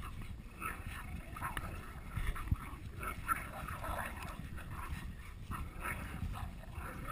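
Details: Jack Russell Terrier and pit bull American Staffordshire terrier playing tug of war, giving continuous low, rough, rumbling growls with raspy bursts throughout, quiet and steady with small surges of effort.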